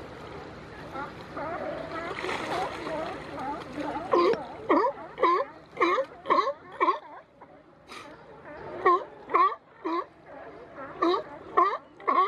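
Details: Wrestling California sea lions along the Coast Guard Jetty in Monterey, California, pinning each other with their necks. After a jumbled start with splashing, loud hoarse barks repeat about twice per second in steady bursts.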